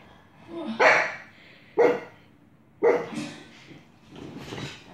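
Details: Indoors near a television Coco is watching, pet dog Grimley repeats short, rough barks about once per second, four in total, with faint household background.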